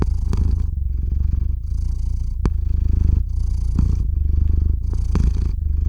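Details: Close recording of Theo the cat purring as he falls asleep, RODE NTG-3 microphone into ZOOM H6; deep vibrating purr alternating inhale and exhale phases about every second, a sharp click near two and a half seconds.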